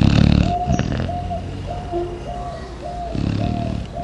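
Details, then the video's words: A Chow Chow sleeping deeply in the morning snores low and rough at the start and again near the end. Between the snores a dove coos softly and evenly several times. "Cão Chow Chow roncando igual a um ser humano"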